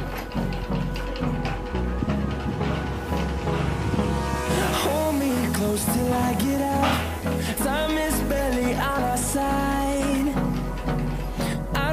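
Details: Loud pop music with a steady beat and melodic vocal-like lines throughout, with no animal sound heard.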